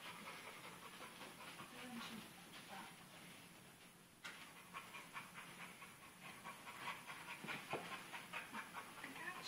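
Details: Pit bull puppy named Dixie tussling with a sock at home: after a quieter opening, short breathy huffs and snuffles come in an irregular rhythm, about one and a half per second, against low hiss.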